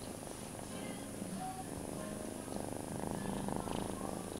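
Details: Low, rhythmic purring from foster kitten Feline, cradled in a person's arms and licking their hands while mother cat Ruby checks on the litter; the pulses quicken and grow slightly louder toward the end.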